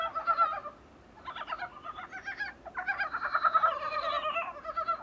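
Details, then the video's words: Dybowski's brown frogs, captured from a small room's window: a continuous jumble of clucking, pulsed croaks from overlapping callers, briefly quieter in the second second. "북방산개구리 울음소리"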